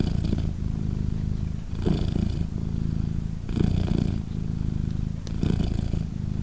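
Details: British Shorthair mother cat Polina, indoors with her three 3-day-old newborn kittens, purring: a steady low rumble that swells louder about every 1.7 seconds with each breath cycle.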